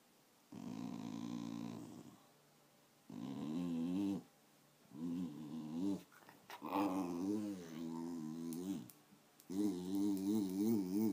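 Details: Patsy, a 13-year-old female Wire Fox Terrier, growls in five bursts of one to two seconds each, separated by short pauses. The rumbling tones waver up and down.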